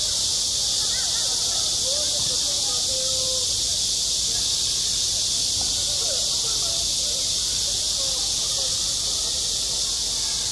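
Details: On a school playground in high summer, cicadas keep up a loud, seamless, shrill buzzing, while soft, short, lower-pitched sounds flicker faintly below.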